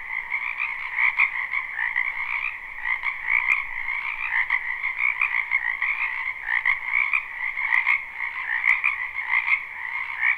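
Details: Spring wetland frog chorus, live and unlooped: countless frogs croak together in a thick, unbroken wall of sound, with rapid rhythmic pulses rising and falling throughout and no other sounds standing out.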